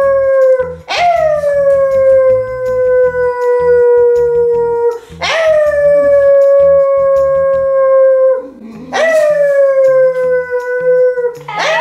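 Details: Basenji named Feenix howling during a training session, with favourite treats used as the reward. Three long howls each jump sharply upward, then hold and slide gently down for about four seconds. Soft music plays underneath.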